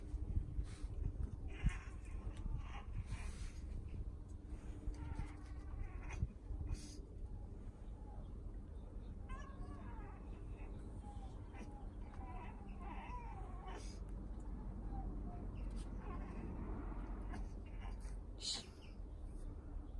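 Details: British Shorthair cats outdoors in summer, in a summer house made for them outside, visited every morning; a series of short, wavering mid-pitched meows clusters in the middle of the recording, over a steady low rumble with scattered clicks and knocks.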